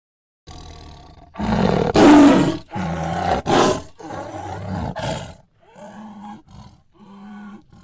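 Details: Tiger producing a run of rough, rasping roars that peak at about two seconds, then two shorter, tonal moaning calls after a brief pause.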